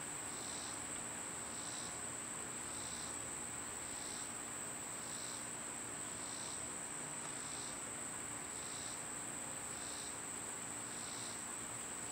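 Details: Summer cicada chorus: a constant piercing high whine, with rhythmic buzzy pulses returning about once a second in a regular train across the whole stretch, over soft rural ambience.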